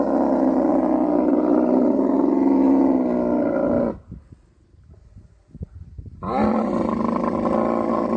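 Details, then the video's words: Camel at mating time in Tharparkar, Sindh, Pakistan: a long, steady, rough roar for about four seconds, a quieter stretch of faint clicks and gurgles, then a second loud bubbling roar. "Camel Mating | Mating Season | Camel Natural Proses | Camel Sound Effect"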